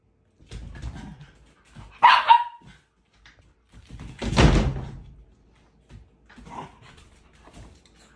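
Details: A female Siberian husky, after paw-punching a toy poodle and provoking its anger, gives a short, high, wavering whine, then a louder harsh bark-growl, with quieter snorts and scuffling between calls.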